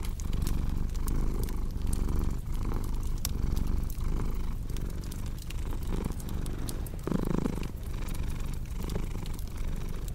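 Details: Cat purring in a low, steady rumble that swells and eases in rhythmic breathing cycles, with sharp pops and snaps of a crackling fireplace scattered throughout.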